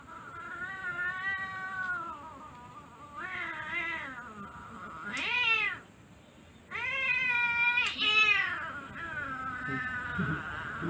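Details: Female Siamese cat protesting while having her claws cut indoors, giving a string of long, wavering, drawn-out meows, some rising then falling, with short pauses between them and a steady background hum.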